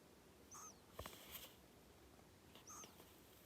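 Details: Sleeping pet hedgehog Kenta, male, born 15 January 2020, snores with two faint whistling breaths about two seconds apart. A short scratchy rustle falls between them, all over low background hiss.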